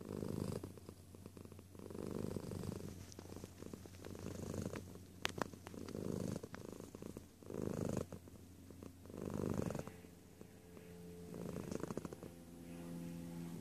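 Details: Close purr of a cat: a low, steady rumble that swells and fades in slow waves every two to three seconds, following the breath, with a brief bright click near the middle.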